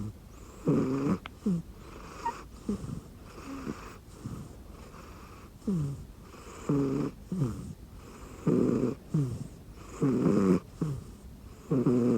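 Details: Rescued domestic cat snoring while asleep on a person's arm used as a pillow under a futon in cold weather; rough, buzzy low snores with raspy breaths, repeated roughly every one and a half to two seconds.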